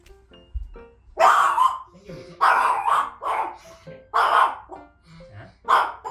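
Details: A 1.5-year-old Maltese barks in loud, sharp bursts, again and again, at strangers arriving at the door. It barks at the doorbell and keeps barking at unfamiliar people, acting as a guard dog.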